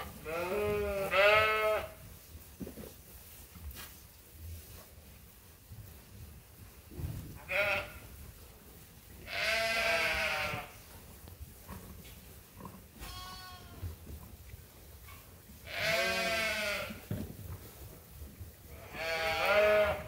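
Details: Sheep and lambs on Ewetopia Farms calling while awaiting feed: repeated quavering bleats arrive every few seconds, some long and shaky, with quieter farm noise between them.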